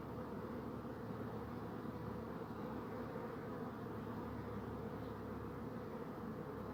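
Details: A constant low hum of many buzzing bees, unbroken and level from start to finish, with a faint steady tone running beneath the drone.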